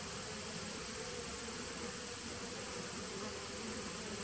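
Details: Colony drone from a 2017 honey bee nuc, taped on September 19, 2018: an unbroken buzzing hum, even in loudness from start to finish, overlaid by a faint steady high whine.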